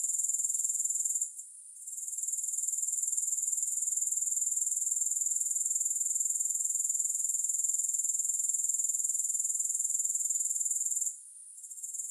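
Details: Grasshoppers produce an even, piercing high trill with four pulses a second, interrupted by two brief silences, one near the start and one near the end; no music.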